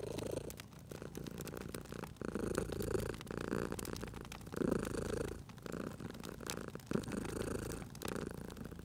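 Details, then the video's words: Purring cat asleep near a crackling fireplace in a cozy spring ambience. A soft, rough purr pulses in uneven breath-paced bursts, some stronger swells around mid-clip, accompanied throughout by clicking, popping burning wood. "Cute Purring Cat at a Crackling Fireplace"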